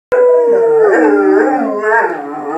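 A dog gives a long, sustained howl that slides gently downward in pitch and then wavers.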